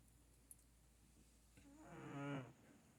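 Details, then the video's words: A pet cat snoring: one long, drawn-out, rough voiced breath rising and then falling in loudness near the end, with faint room hiss and a soft tick before it. "4 minutes of my cat snoring"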